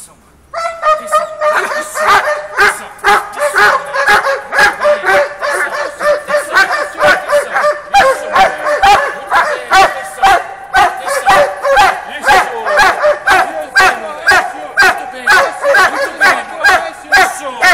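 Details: Doberman Conan, shown leaping to bite, bursts into sustained barking after a brief quiet start: dense, ringing barks repeated about twice a second, many overlapping and rapid.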